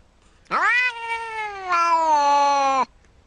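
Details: House cat letting out a long two-part meow, a rising wail that swells again midway and stays loud before ending abruptly after about two seconds; otherwise quiet.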